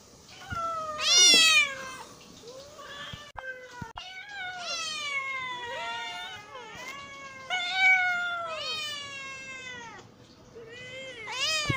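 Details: Hungry domestic cat meowing: a string of drawn-out, wavering meows, some rising then falling, with short pauses between calls and a few sharper, higher cries.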